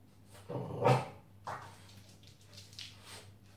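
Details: French Bulldog vocalizing indoors during an introductory "Do as I do" imitation training session: one short, low, rough growling burst after a spoken French command, then a weaker second note, with a steady electrical hum throughout.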